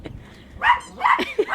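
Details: Brown Chihuahua barking at the white dog as it fetches a toy; two or three short, sharp barks in quick succession, with a person's voice nearby.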